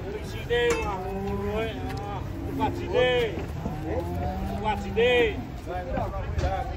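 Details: Giant cattle being loaded onto a truck with the help of seven people, lowing in drawn-out harmonic moos repeated every couple of seconds, while men shout directions in Javanese over engine hum and clanking.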